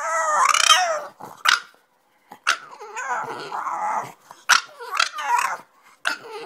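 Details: French Bulldog indoors after resting, jumping off the bed to wake its owner, who it thinks is sleeping too late. Opens with a long, high, wavering whine, then short yappy barks and grumbling, moaning vocal bursts separated by brief pauses.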